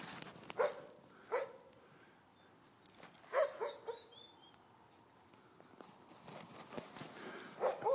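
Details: Grey wolves frolicking in winter snow at Cedar Cove give sharp, short yelps, one roughly every second at first, then a pause before more, with scuffling and crunching snow underneath.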